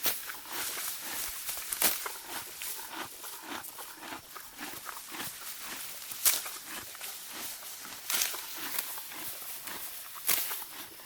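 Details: Morgan horse mare grazing in deep spring grass, tearing and chewing: dense broadband crunching and ripping bursts in quick irregular succession, a few sharper tearing snaps standing out, no other animals heard.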